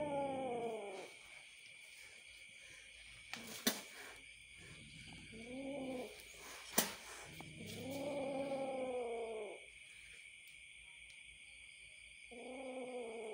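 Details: Angry little kitten growling and yowling in short harmonic bursts of one to two seconds with pauses, a couple of sharp clicks, and a constant shrill insect chorus behind.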